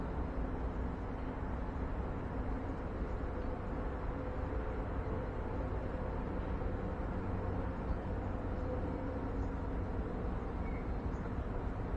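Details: Steady low rumble like distant traffic or machinery fills the recording, with no animal voice standing out.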